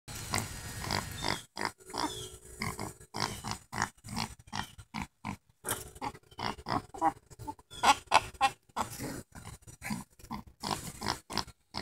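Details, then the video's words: A mini pig 'laughing' at an 11-week-old Lhasa Apso puppy: rapid runs of short, gruff grunts, roughly three a second, in uneven bursts with brief pauses between them. "Mini pig laughs at 11 week old lhasa apso pup"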